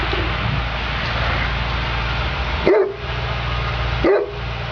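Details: Neapolitan Mastiff Sofia DSV at work: two deep, loud barks about a second and a half apart, the second near the end, over a constant broadband hiss and low rumble.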